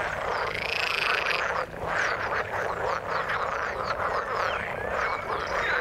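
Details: Frogs in water giving a crowded chorus of quick, grating croaks; a brighter, higher buzzing trill rides above during the first second and a half before the rattling calls carry on alone.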